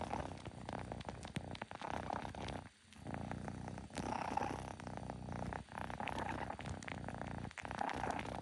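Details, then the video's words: Kitten making odd noises again indoors; a continuous rough, purr-like rumble with faint pulsing runs through the whole stretch, briefly dropping out near the third and eighth seconds. "Zena making weird noises.. AGAIN!!"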